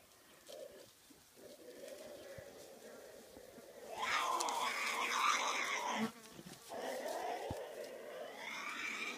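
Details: Tasmanian devils during a mating ritual at night: quiet low grumbles at first, then a loud, harsh, rasping screech for about two seconds, a brief drop, and rough growling cries continuing to the end.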